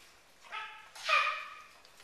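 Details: Gordon Setter puppies: a short whine and a louder high yelp that holds level, with a bright harmonic stack in the upper midrange, over a quiet background.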